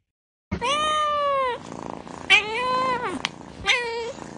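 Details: A domestic cat meows three times: a long, steady, clear meow of about a second, then a shorter one that rises and falls, then a brief final mew, with quiet room sounds between the calls.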